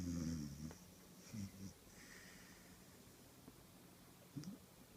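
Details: A one-year-old cross-breed puppy snoring while asleep indoors: low, rasping breathy bursts at the start, again near one and a half seconds and once more after four seconds, separated by quiet stretches over a faint steady room hum.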